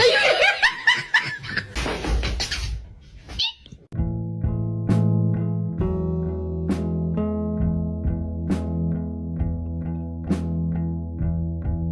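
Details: Laughter and voices give way to a steady guitar and bass tune with sharp percussive hits, and no animal voice.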